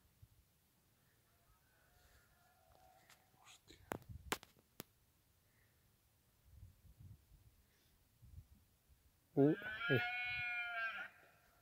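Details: Red deer bellowing during the rut in Sierra Morena: one loud, harmonically rich groaning roar lasting about one and a half seconds near the end, preceded by quiet human whispering and a few sharp clicks.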